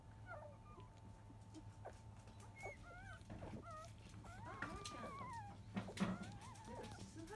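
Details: Newborn field-line Labrador Retriever puppies, five days old, nursing from their mother biscuit at ten in the morning. Repeated high, wavy whimpers and squeaks come from the litter, some arching up and down, over a constant low hum.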